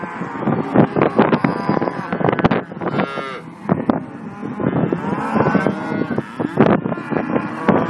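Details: Simmental heifers lowing: a few brief moos, one rising near the middle, are broken up by sharp clanks and banging, with a low rumble underneath.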